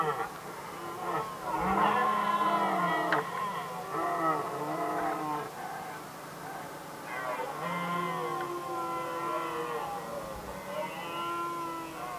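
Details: Red deer stags contesting hinds in Västmanland, Sweden, 2010, roar almost without pause, giving rough, deep, harmonic calls that rise and fall and overlap one another.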